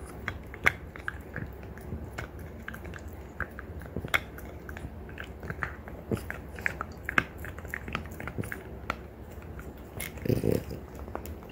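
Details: Two female French Bulldogs, a mother aged three years one month and her daughter aged one year six months, gnaw deer antler indoors: irregular dry crunching and grinding clicks, scattered sharp bites, a louder cluster of crunches near the end.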